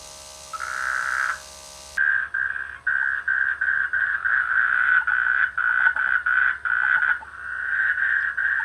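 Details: Frogs croaking in village rice fields during the rainy season: a dense, rasping pulsed chorus with short bursts repeating in quick succession after a brief opening call, steady and loud throughout.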